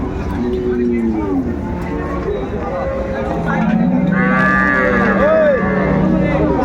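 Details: Cows with calves at Ambari market in Dinajpur, Bangladesh, on a Friday market day, 24 May: a low drawn-out moo and a short higher bellow under busy crowd chatter and bargaining voices.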